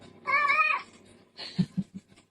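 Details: A house cat gives two meows: the first drawn out and level for about half a second, the second shorter and fading, followed by a few low soft thumps.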